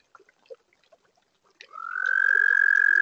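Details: Pond toads on a warm spring night. Sparse soft clicks and short notes give way to a high, steady trill that swells in and carries on to the end.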